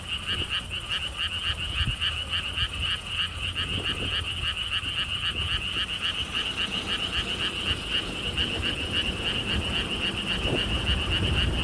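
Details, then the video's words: Frog chorus beside lotus ponds at Gwangokji, Siheung, South Korea, along a stone wall path on a windy day. Steady, fast trains of rattling pulses continue without pause, with soft gusts of wind rumbling underneath. "개구리 소리"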